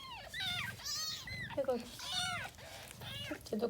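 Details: Indoors in a birthing box, a Persian angora mother cat delivers kittens: a run of arching, rising-falling meows repeats about every half second, overlapping steady Korean speech counting the newborns.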